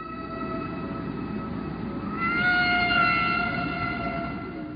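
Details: A humpback whale sings long, steady tonal notes that swell and slide slightly upward over an underwater hiss, recorded at the beaches of Aruba.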